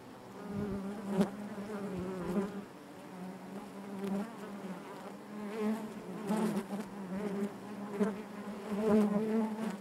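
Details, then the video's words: Steady, layered buzzing of honey bees within the hive, a deep hum with harmonic bands, rising and falling gently, punctuated by several short, brighter bursts of close wingbeats. "bees therapy hive natural buzzing sound"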